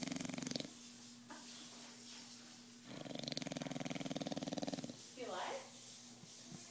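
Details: A sleeping bulldog snoring. A buzzy, rapidly fluttering rattle lasts about two seconds, with shorter raspy breaths before and after it and a low steady hum underneath.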